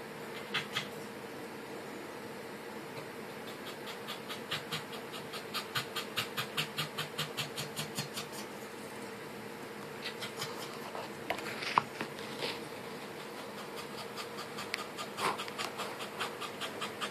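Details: Corgi puppies of the Pembroke Welsh breed breathing in rapid, uneven breathy pants, with pauses between runs and a few sharper clicks near the middle, against a constant background hum.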